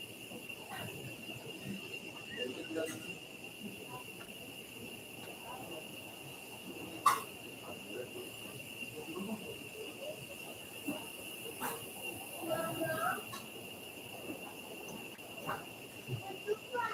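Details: Cicadas singing near Uvita on Costa Rica's southern Pacific coast, overlooking the Whale Tail; a steady high-pitched drone holds throughout, with occasional louder bursts, clicks and faint voices in the background.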